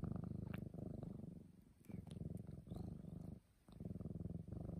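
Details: Black domestic cat lying beside a person, purring in a deep, buzzing rumble that comes in long stretches broken by short pauses for breath, each burst lasting about a second or more.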